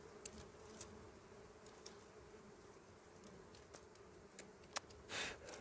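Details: Wild small bees at their honey nest in dry berry twigs, filmed during harvesting, give a constant low buzzing drone, broken by scattered ticks and a burst of rustling near the end.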